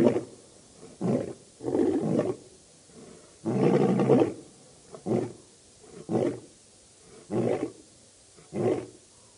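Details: Birmingham Boys coalition lions calling at the dam, Djuma Game Reserve, Sabi Sand, South Africa, August 2016: a fading sequence of short, gruff grunts ending a roaring bout, roughly one per second, with one longer grunt in the middle.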